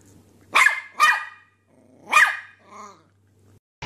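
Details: Puppy barking in three loud, clear yaps, the first two close together and the third after a short pause, followed by a softer whine-like sound and a faint low hum underneath.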